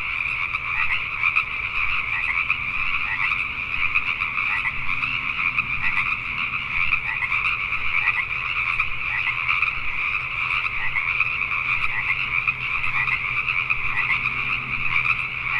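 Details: Nighttime chorus of Pacific tree frogs in Richmond, British Columbia, Canada, many frogs croaking together in an unbroken, pulsing wall of rasping calls that holds steady for the whole stretch.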